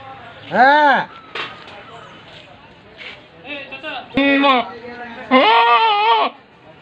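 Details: Tame large-breed goat calling repeatedly: a short arched bleat, then several quieter sounds, then two loud harmonic bleats, the last drawn out for about a second.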